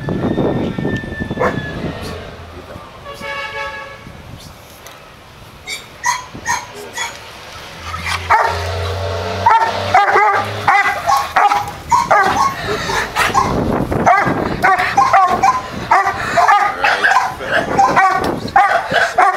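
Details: A pair of Doberman Pinschers at Madness Kennels, Arnos Vale, St. Vincent and the Grenadines, barking. Occasional single barks lead into a dense, rapid volley of sharp barks in the second half, over vehicle noise and some speech.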